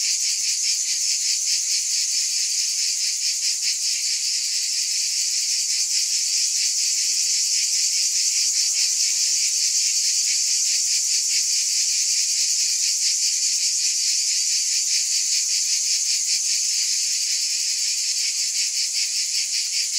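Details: Cicadas in a steady, dense, high-pitched buzzing chorus, unbroken for the whole stretch, with a fine rapid pulsing running through the hiss and no other sounds.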